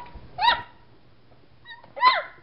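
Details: Seven-week-old Boxer puppies: two high, harmonic yelping barks about a second and a half apart, each arching up then falling, with a brief thin whine just before the second; otherwise a quiet background.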